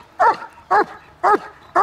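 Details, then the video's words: German Shepherd trained at Kraftwerk K9, barking on command; four sharp, evenly spaced barks about half a second apart, with little background noise. "Kraftwerk K9 German Shepherds - On and Off on command!"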